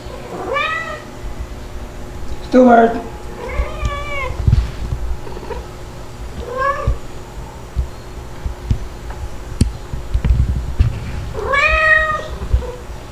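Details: Two playful kittens, white Dalmatian-spotted Stuart and black Lunar, recorded indoors in July 2022: scattered arched meows, one louder squeaky cry early on, then a long pause before a final clear meow; thuds and a low room hum.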